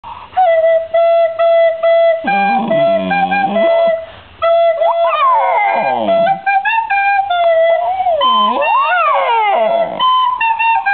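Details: A female Fox terrier howls, "singing", in long sliding, wavering notes to a steady recorder tune, then is praised as a good girl.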